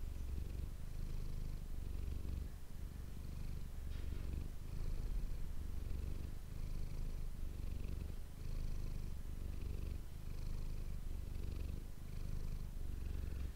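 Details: Manis, a domestic cat, purring close to an ASMR microphone; deep continuous rumble pulsing with each breath about every two seconds, faint soft rustles above.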